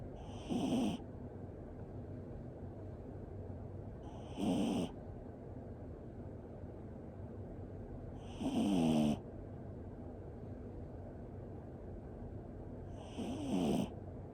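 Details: Toy Poodle fast asleep, its sleeping breath sounding like a snore: four soft, nasal wheezing breaths with a faint whistling edge, spaced about four seconds apart, over a quiet indoor background.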